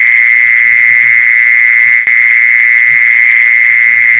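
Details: Mole cricket call used as a lure for catching mole crickets: a continuous, even, shrill buzzing trill that never pauses, with a weaker upper overtone and faint low thumps in the background.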